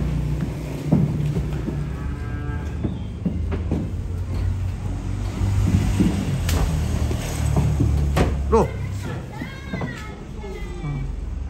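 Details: Cattle being unloaded, low drawn-out mooing over a steady deep rumble, with a higher wavering bellow near the end and faint voices and clatter in the background.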